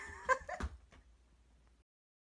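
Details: Shiba Inu, one of two dogs squabbling over a touch with a paw: a brief, sharp, tonal yelp with a bright harmonic ring, then a softer squeak and a thump, before it trails off into the quiet of a small indoor room.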